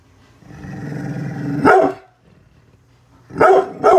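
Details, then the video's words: Bullet, a brindle pit bull protecting the house from construction workers outside, holds a rising rumbling growl for over a second, then breaks into a sharp bark, a pause, and two quick barks. "brindle pitbull protection dogg !!! scary growling and barking"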